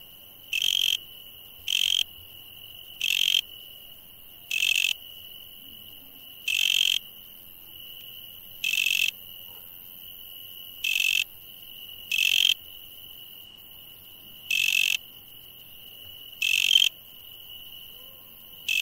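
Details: Insects calling at night: a steady piercing tone with about thirteen short, raspy buzz bursts repeated irregularly every one to two seconds over a quiet background.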